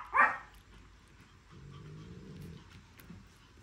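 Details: Male orange-coated Pomeranian puppy whose sire is a champion gives one sharp bark, followed by a low, rough growl lasting about a second.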